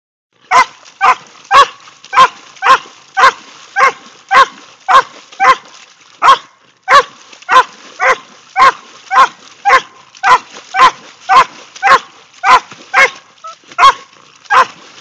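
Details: Border Collie splashing in puddles, recorded on an Android phone: a fast, steady series of more than twenty short, sharp barks, roughly two each second with a brief pause near the middle, loud and close.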